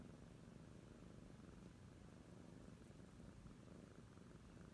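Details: Oriental Shorthair kittens, a pair, give a short run of gentle, unbroken purring, a low even drone at a quiet level with nothing else clearly heard.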